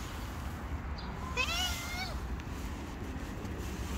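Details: Short, quavering meow from a hungry stray cat outdoors, under a second long, rising then dipping, against a constant low rumble of street noise.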